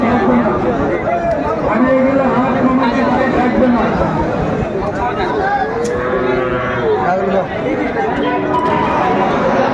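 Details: Sahiwal bulls at a busy cattle market in Comilla, Bangladesh, on 26 December 2024: several long, harmonic lowing moos overlap through a steady hubbub of crowd chatter and bargaining voices.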